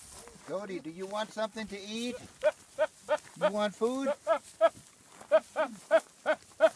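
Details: Goats from a funny compilation give a run of short, nasal, harmonic bleats in quick succession, some wavering at the start, then clipped calls repeated about three times a second.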